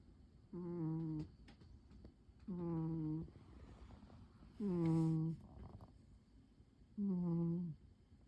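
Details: Domestic cat asleep and curled up on a chair on a quiet afternoon, snoring: four droning, tonal snores, each under a second long, arriving about every two seconds in a still indoor room.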